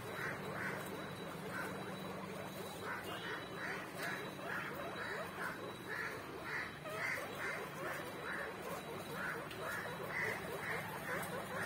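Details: Guinea pig calling with a steady run of short, high squeaking notes, about two a second, with brief pauses between bursts over a low background hum.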